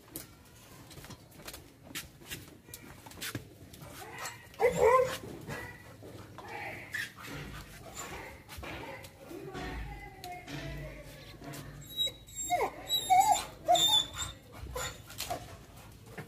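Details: A female American Pit Bull Terrier, going wild at the sight of a monkey, gives short, sharp barks and whines, with human speech and music behind.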